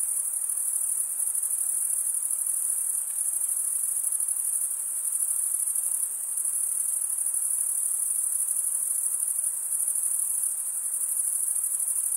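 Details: A steady high shimmer of crickets chirping in a forest on a summer night, dense and unchanging throughout, a constant insect drone with no birds, wind or voices.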